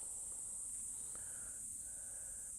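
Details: Cicadas on a very hot day atop Nokonoshima Flower Island, Japan, among flowers, give a steady, high, hissing drone that holds without a break.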